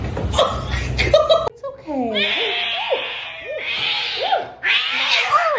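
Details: Kittens in a cute cat compilation meowing: a series of short arched mews repeated about every half second, over a steady background hiss, with speech at the start.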